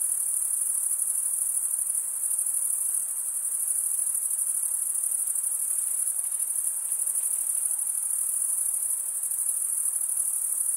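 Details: Steady cricket stridulation, wings rubbed together to chirp: an unbroken, very high, silvery trill whose rapid pulses blur into a constant shimmering tone, with only a faint soft hiss beneath.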